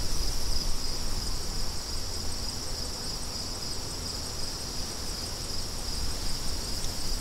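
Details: Steady shrill chirping of crickets forms a constant high band over a bed of strong, low wind noise that swells slightly at the start and end, ambient sound offered for study and relaxation.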